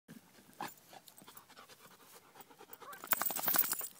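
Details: Panting of a bullmastiff and bull terrier cross dog after running one mile on a hot day: rapid, breathy puffs repeated about three times a second, growing louder and harsher toward the end.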